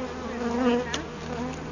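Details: Honey bees swarming near hive pieces moved from a felled tree toward a new hive box: one bee passes close in a brief, swelling whine above the broad, steady colony hum, with one soft click.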